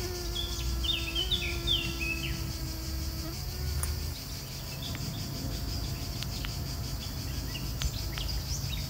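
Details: Honey bee pollinating flowers, a steady low droning hum that holds level, drops slightly in pitch after about three seconds, then continues more faintly; brief high bird chirps early on over soft outdoor background noise.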